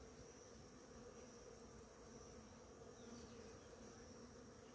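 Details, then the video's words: Bees in large numbers feeding at flowering ora-pro-nobis one morning, producing a constant dense hum of beating wings, slightly swelling near the end, over a faint persistent high-pitched tone. "orapronobis florida com muitas abelhas"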